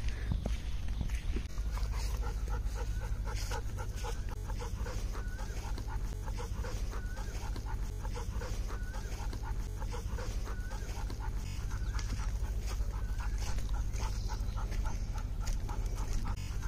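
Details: A Golden Retriever puppy pants in quick, steady breaths, about two per second, with faint high whines.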